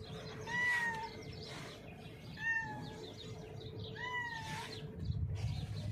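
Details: Cat that is blind in its left eye, hiding under a mixer truck after being called; three short meows, each bending down in pitch, about every one and a half seconds over low outdoor rumble.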